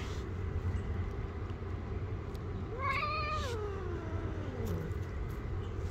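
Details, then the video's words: Angry street cat that bites when touched: a drawn-out wavering meow rising then sinking into a low moan over about two seconds, with steady low background rumble. "When I touch the Angry Cat, it gets very angry and bites my hand."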